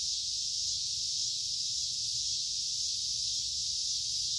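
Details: Cicada calling in summertime, a dense high whirring buzz with faint slow swells in intensity, otherwise constant from start to finish.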